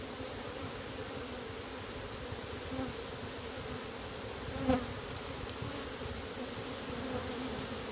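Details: A dense, steady hum of a small swarm of many honey bees, including big drones, being caught into a box from a low bush on 29 March 2021; a low droning buzz with a faint overtone.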